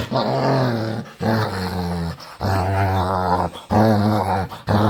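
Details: Playful dog begging to play, making weird noises: long, low, harmonic groaning growls, each about a second long and drawn out in a wavering tone, separated by short pauses, indoors.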